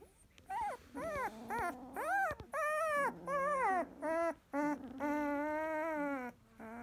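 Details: Field-line Labrador Retriever puppy, 16 days old, eyes newly opened, resting after nursing; a run of high, wavering whimpers and squeals, some rising then falling, in quick irregular succession with short gaps.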